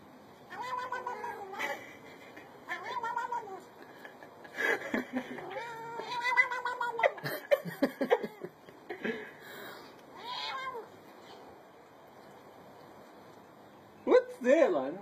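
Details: Cat making a run of short rising-falling meows and chirps while being tickled, some clustered quickly together, with a quiet stretch and a last pair of meows near the end.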